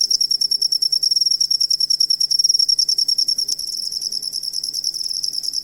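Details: Cricket heard as a tutor recording for songbirds: loud, high pulsed chirps in a quick even beat that smooth into a nearly continuous shrill trill in the second half, over a faint low hum.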